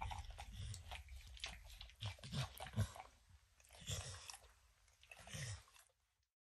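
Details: Max the dog crunches kibble and licks peanut butter off an orange mat indoors; bursts of wet licking and crunchy chewing in uneven clusters, ending in silence.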